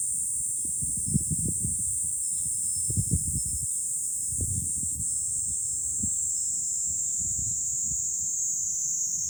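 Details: Cicadas in July from a hilltop overlooking Fukuoka City, Japan: a dense, steady high-pitched drone runs throughout. Bursts of low wind rumble come and go beneath it.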